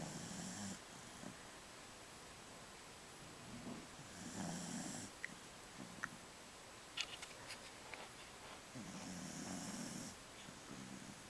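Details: A 15-year-old female Jack Russell Terrier snores in slow, raspy breaths, each about a second long, twitching as she sleeps and dreams.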